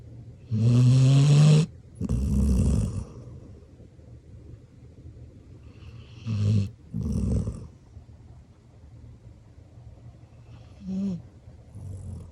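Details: Black Labrador Retriever sleeping deeply with its eyes open, snoring: loud rasping, rumbling inhalations in uneven bursts, two long snores close together, then shorter ones about four seconds apart, quiet breathing between.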